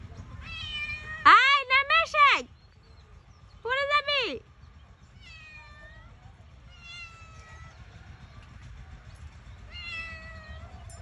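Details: Domestic cat stuck up a tree, calling in repeated meows: two loud drawn-out harmonic meows near the start, then a series of softer falling meows every couple of seconds, with low background rumble.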